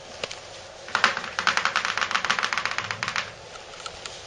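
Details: A rapid run of sharp clicks like typing or claws tapping on a hard floor indoors, with no bark or whine.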